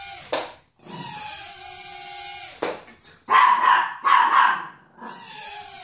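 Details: Small Chihuahua facing a Hubson X4 quadcopter. Steady buzzing and whirring from the drone fills the background, broken by a sharp yelp and then two rough, loud barks close together.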